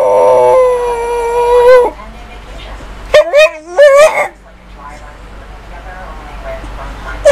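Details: Female house dog 'talking': a held, slightly wavering tone for nearly two seconds, a pause, then a quick burst of up-and-down yodelled whines before near-quiet.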